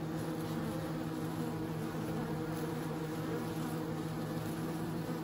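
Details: Bees droning without a break, a thick low hum that stays level and constant throughout.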